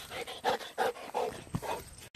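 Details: Golden Retriever playing catch with a frisbee outdoors: quick, breathy panting in short rhythmic bursts, about four pulses over two seconds, fairly close.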